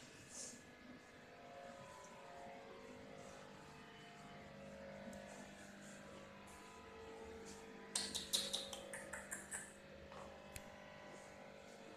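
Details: Quiet indoor room hum with faint voices, then a short burst of sharp clicks and knocks partway through.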